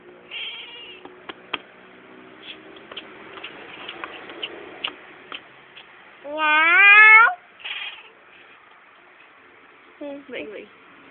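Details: Pet cat talking with its owner: one strong drawn-out meow that climbs in pitch, then a couple of short, softer chirping mews, over faint clicks and rustling.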